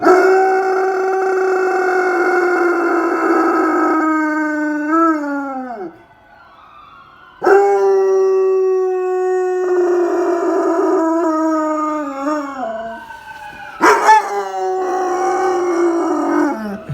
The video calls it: My German shepherd howling MUST WATCH lol